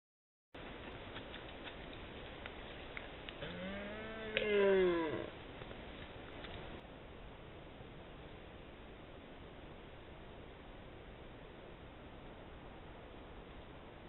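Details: Red deer roaring unusually in June, captured by a camera trap: a single harmonic roar of about one and a half seconds, arching up then down, rising out of otherwise quiet background noise.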